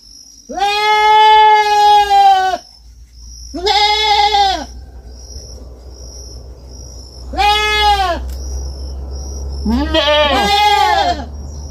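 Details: Young farm goat bleating four times, long quavering harmonic cries of one to two seconds, the last split into overlapping voices, over a low steady hum and a shrill insect whine.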